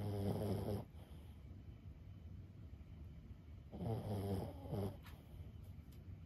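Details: Lulu, a 15-year-old senior Boston Terrier, snoring in sleep indoors: two deep, rasping, buzzy snores about three seconds apart, each roughly a second long, with a low rumbling tone and soft room hush between.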